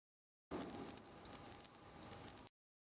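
A pygmy marmoset gives a thin, very high, steady whistle, broken into three joined pieces.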